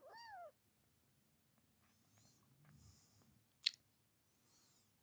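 A Savannah kitten lets out a single thin, high-pitched meow that arches up and drops away within half a second. Quiet shuffling and a sharp click follow in a small indoor room.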